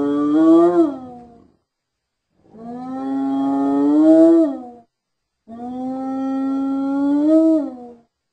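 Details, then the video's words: A hyena calls three times in slow succession, each a sustained, mellow, harmonic tone lasting one to two seconds that rises slightly and then dips at the end, with clear pauses between. "Hyena Sounds"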